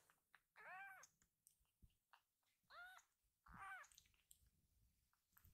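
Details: Rescued kitten Pochamaru, round-bellied after a full meal, being tickled on his back; three drawn-out, lower meows spaced roughly every one and a half seconds over a faint indoor hum.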